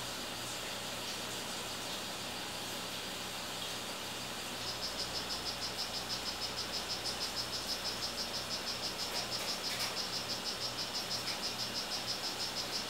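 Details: Strawberry poison-dart frog, a male of the 'rio guarumo' form, starting to call partway through: after a few seconds of faint hiss, high pulsed chirps begin and repeat steadily about three times a second.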